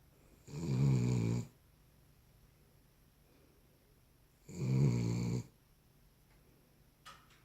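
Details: Snoring from a Cavalier King Charles Spaniel during sleep: two loud, gravelly, buzzing snores about a second each, roughly four seconds apart, followed by a faint click.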